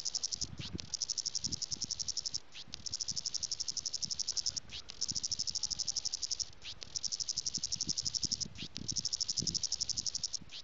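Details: Garden cicadas in South Africa's Western Cape during January summer heat, calling to mates or rivals; shrill pulsing buzz in long runs of one to two seconds with brief breaks, faint low thumps beneath.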